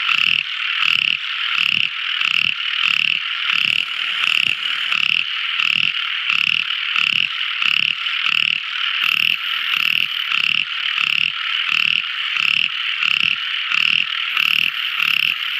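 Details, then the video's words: Tiny frog heard at night: a long run of about two dozen short, rasping croaks at a steady quick pace, under an unbroken high whining chorus. "Tiny Frog Crying | Never Listening So Beautiful Frog Song! At Night Time!"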